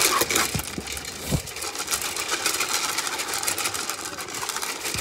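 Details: A hungry Zwartbles sheep on a farm in County Kilkenny, Ireland, munches right up close to the microphone, a dense run of crunchy, crackling chewing noises.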